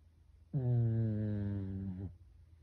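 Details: Sleeping Pekingese, a household pet, snoring much like a human: a single steady, deep, humming snore of roughly one and a half seconds with a slight dip near its close, against near silence indoors.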